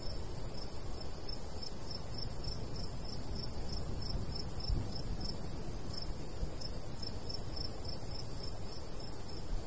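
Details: Crickets in summer countryside by a golden wheat field, sounding high, short chirps repeated steadily about every half second, set against a constant low rumble of light breeze.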